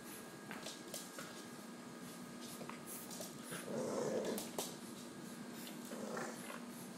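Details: Two puppies play fighting indoors, a Pekingese and a 10-week-old English Bulldog of nearly the same size; low rumbling growls swell in the middle and again near the end, among scuffling, thumps and clicks.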